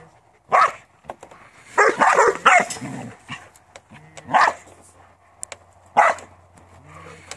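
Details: Working farm Border Collie lets out sparse, separate barks, a few clustered together early, then single sharp barks a second or so apart, with a low hum underneath.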